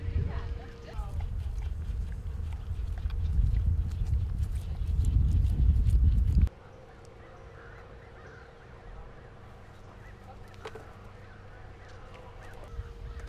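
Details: A cheetah at San Diego Zoo Safari Park purrs in a deep, rumbling, steady throb that stops abruptly, leaving a quieter background hum.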